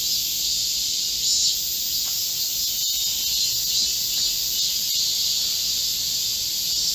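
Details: Korean cicadas in a green forest at midsummer, during a heat wave on 25 July 2024, singing as a chorus: a dense, steady, hissing buzz of many insects with no clear breaks, holding level for the whole stretch.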